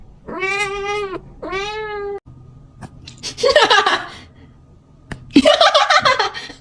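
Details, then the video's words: A kitten meowing to attract cats gives two short, level meows, followed by two loud, rough, broadband bursts of noisy sound. "Kitten meowing to attract cats"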